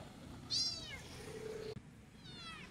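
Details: Abandoned white kitten, a domestic cat, meowing while being picked up and carried along a street: two thin, high, falling cries about two seconds apart, with faint background hum.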